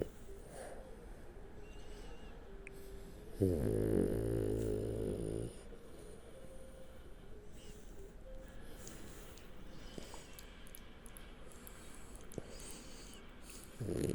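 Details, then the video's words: French Bulldog named Shturm sleeping on its back, snoring: one long harmonic rasping snore near the fourth second dominates, with soft breathing and faint snuffles before and after, another snore starting at the end. "Французский бульдог Штурм Спит, Храпит, Сопит и Пукает лёжа на Спине"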